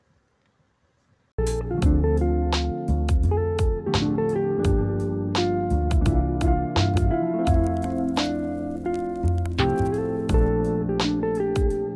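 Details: Plucked guitar music with bass notes and steady strummed rhythm starts after a second of near silence and plays on without pause; no animal voice is heard.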